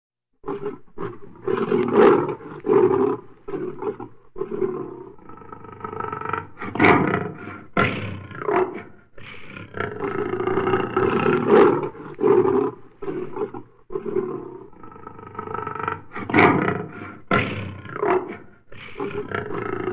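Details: Wild lions killing a zebra in the Serengeti, Tanzania: rough, harsh roars and growls come in rapid overlapping bursts, with loud surges recurring every few seconds and brief pauses between them.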